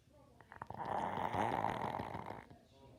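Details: A sleeping dog lets out a single loud, rasping snore lasting about two seconds. It swells and then fades, with a thick, vibrating texture, indoors.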